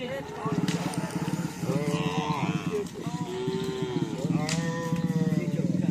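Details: Several cattle at karapan sapi bull race training, Asemanis field, Pamekasan, in the morning; overlapping short, wavering moos over a rapid, pulsing low throb and crowd-like background din.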